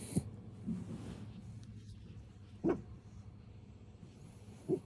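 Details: Pet puppy at home while a walk is being suggested: three short, soft yips spaced roughly two seconds apart, each a brief burst standing out over a steady low hum.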